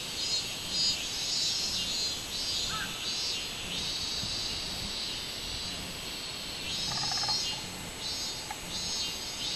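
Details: Robust cicada chorus recorded 24 July 2016: shrill, hissing buzz in waves that pause briefly, with short tonal chirps from another creature around the middle and late in the recording.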